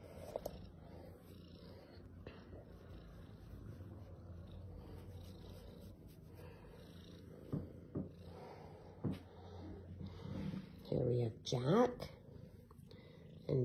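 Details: Kittens purring with a low, steady rumble, joined by a woman's voice near the end, while some snooze and others play or are snuggled.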